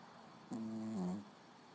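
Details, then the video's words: Little dog asleep and snoring, one humming, nasal breath held on a steady tone that dips slightly before fading, in a quiet room. "Пёсик храпит"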